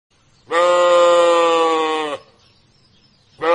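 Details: Markhor, a wild goat of Central Asia's Karakoram and Himalayas, giving a long, loud, steady bleat of about one and a half seconds with rich harmonics, then a second bleat beginning at the end; quiet otherwise.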